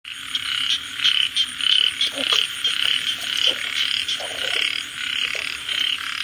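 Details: A frog gives rapid, pulsed, rattling croaks about one to two per second, each a buzzy burst with bright upper tones. The rhythm is uneven over a steady background hiss, with a few faint clicks.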